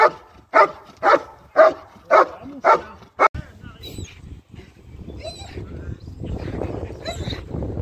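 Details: German Shepherd during IGP competition training gives six loud, evenly spaced barks within about three seconds, then falls silent while voices and background rumble take over.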